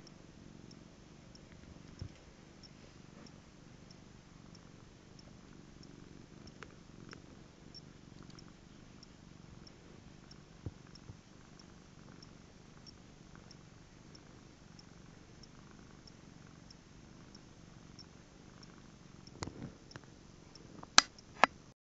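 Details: Domestic cat purring softly and steadily, a low continuous rumble that swells and fades in a regular breathing rhythm of roughly two cycles per second, with a few sharp clicks and taps toward the end.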